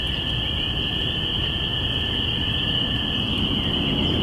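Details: Binaural recording of spring peepers from April 5, 2017, heralding spring: countless high-pitched peeps blend into one continuous piercing drone. A weaker lower steady note and a low background rumble accompany it.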